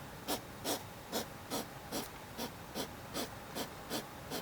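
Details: Hedgehog producing an odd cough-like panting: ten sharp, hissy puffs of breath, evenly spaced roughly every 0.4 seconds.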